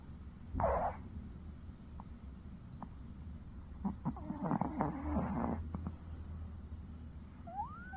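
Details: Snoring from a dog asleep: an early brief rasp, then a wheezy, whistling breath of about two seconds with a few clicky snorts. Quiet room background in between.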